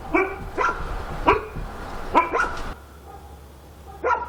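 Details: Dogs barking at night in Korea: short harmonic barks in bursts, two near the start, a double bark around two seconds, then a lone bark after a quiet stretch, over low background hum.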